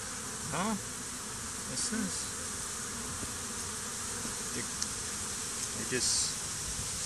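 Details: Honey bees swarming over a stump near hives during a bee war, some fighting and dead bees nearby, days after a small swarm was combined with a hive; steady high insect hum with brief rising whines and clicks.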